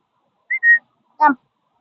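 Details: At a dog park, a big dog gives a single short, gruff bark after a quick two-note human whistle, scaring a Labradoodle puppy.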